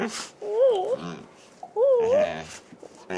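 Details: A pet dog named Rice greeting excitedly indoors on 24 July 2010: two wavering, yodel-like whining calls, each about half a second long, about a second apart, with short rustling noises between them.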